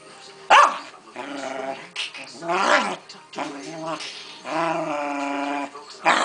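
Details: Pancake the Keeshond having a hissy fit, with sustained, rough growl-moans in long rising and falling bouts and a sharp yelp near the start. Faint human voices are heard beneath.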